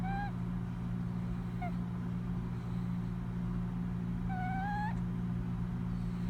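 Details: A male cat asleep and snoring, sounding like a little squeak toy: thin whistling squeaks at the start, near two seconds, and a longer rising squeak around four and a half seconds, over a steady low electrical hum.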